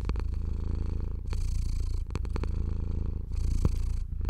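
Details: Deep, low purr of a pet cat under stroking, a heavy bass rumble pulsing in bursts of roughly a second, with soft clicks and rubbing noises from the hand on fur.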